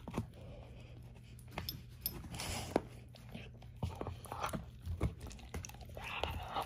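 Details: Bone crunching from a 13-year-old German Shorthaired Pointer named Ava chewing a dehydrated turkey wing at breakfast, inside a room. Quick clustered cracks and gnawing crackles come in uneven bursts above a faint electrical hum.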